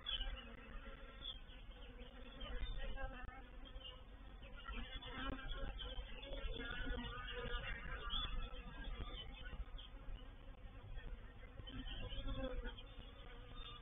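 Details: Honey bees of a reproductive swarm entering a bait hive, or swarm trap, at Painted Peacock Manor on 04/07/21; a continuous, even, many-winged buzzing with a strong low hum, holding level throughout.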